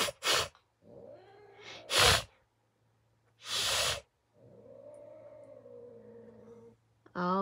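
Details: Domestic cat named Kali hissing at a person indoors: three loud, breathy bursts of hissing a second or so apart, then a long low drawn-out growling yowl, and a final hiss with a faint voice nearby.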